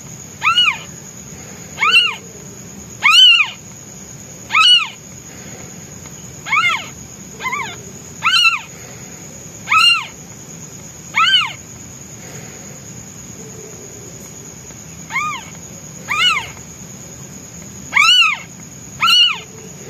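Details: Newborn white kitten, hungry and calling for its absent mother, gives about fourteen loud, piercing meows in steady succession, each a short rising-and-falling wail roughly every one to two seconds, with a constant thin high tone behind.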